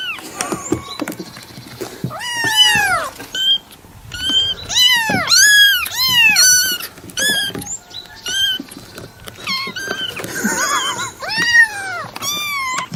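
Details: Cat giving rapid meows, short arched cries in quick clusters that are sometimes nearly continuous, mixed with light tapping and rustling noises.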